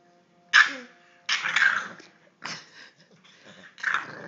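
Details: Three-month-old English bulldog puppy, described as crazy, giving four short harsh bursts of barking and growling, the first sharp and high, the next longer and rougher, spaced roughly a second apart with quiet gaps.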